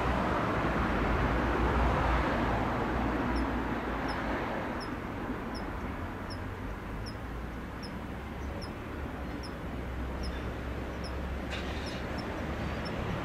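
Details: Kanetataki cricket in late autumn as temperatures fall, its song growing weak: from about three seconds in, thin high metallic ticks repeat steadily about every 0.6 seconds, roughly fifteen in all, over a constant broad rumble of outdoor noise.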